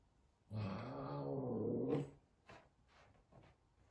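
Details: Big F2 Savannah cat meeting a little kitten for the first time, frightened, makes a loud low growl of about one and a half seconds, rough and harmonic, followed by several short soft huffs or hisses.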